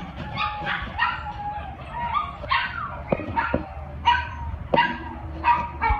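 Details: Repeated high, harmonic barks and yips at OC Animal Care shelter, from a one-year-old male white-and-tan Chihuahua short-hair and Cairn Terrier mix, recorded 7/8/2015, coming irregularly more than once a second above a low background rumble.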